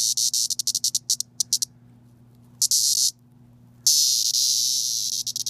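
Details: Periodical cicada (Magicicada septendecim) held and touched, reacting with rapid stuttering high buzz pulses, several per second, then a half-second scream and a long continuous shrill buzz breaking into pulses again.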